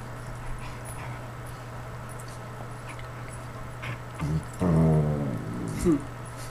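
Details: A Lhasa Apso playing with a Basset Hound's ear gives a short, low, grumbling growl after a few seconds of steady background hum.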